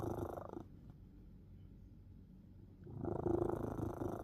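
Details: Domestic cat named CAT snoring while asleep: a rough, rapidly pulsing rasp of breath lasting about half a second, a long quiet pause, then another vibrating, purr-like snore from about three seconds on to the end.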